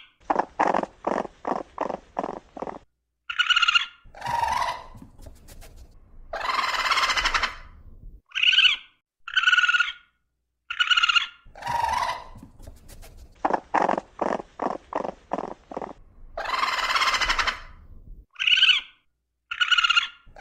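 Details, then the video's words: Raccoon sounds in a repeating sequence: trains of rapid chittering pulses, thin high squeals and harsh screeching bursts, with short silent gaps between phrases. "Sounds of a raccoon/Voice of a raccoon"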